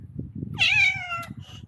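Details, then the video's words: A strange-sounding visiting male cat, upset and looking for a mate with a spayed female, utters one clear, loud meow lasting under a second that starts sharply and slides slightly downward, over low indoor rumbling. "Cat with Very Weird Sound"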